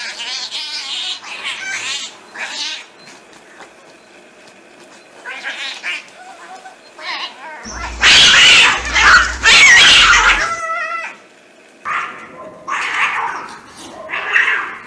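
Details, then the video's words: Street cats fighting: scattered yowls and growled moans build to a loud two-second explosion of screeching and spitting, then short harsh yowls resume in bursts every second or two. "Real Cat Fight Angry Cats Vs Cats Аngry Compilation Video Ever| cats and Cats Fight|Watch With Sound"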